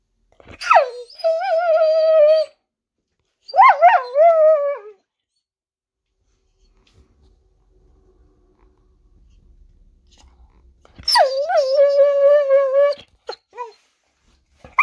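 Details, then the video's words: Excited female Blue Heeler (Australian Cattle Dog) eager for a walk and her Kong toy: two drawn-out whining howls that drop sharply then hold a wobbling tone, a quiet pause, then another long howl and a brief closing yelp. "Vocal Blue Heeler"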